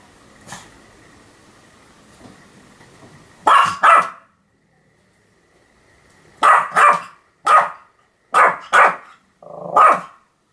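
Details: Sam the Pomeranian in a bout of continuous barking, recorded 7 October 2015: a quick double bark, a pause, then a run of about six sharp, high-pitched barks, some paired, over four seconds.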